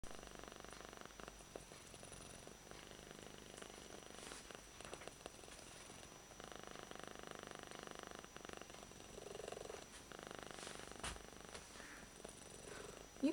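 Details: Odd-eyed pet cat named Yuki purring at full strength while held, which it loves; a soft continuous rumbling purr, fainter and less distinct in places, with a woman's quiet voice calling its name.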